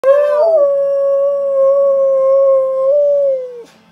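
A Siberian husky gives a long, steady howl that holds one pitch before dropping away.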